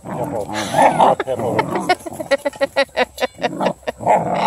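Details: Pack of Redbone Coonhound puppies, the female pups joining in, mauling a blue hippo toy; a burst of people laughing and talking, then a run of short, sharp yips and whines repeated rapidly about every quarter second.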